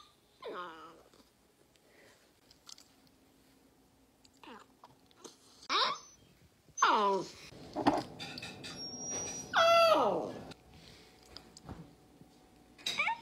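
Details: Golden retriever indoors with another dog nearby, giving a few short, high, whining yelps that slide downward in pitch, scattered across the recording between quiet stretches, with background music and a person speaking.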